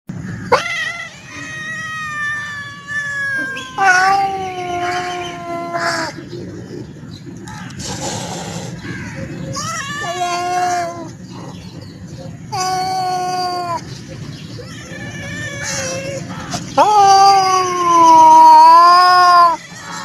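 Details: Black cat meowing close up in a long series of drawn-out, wavering meows and caterwauls, some rising then falling, rich in overtones, with short pauses between calls and a quiet background.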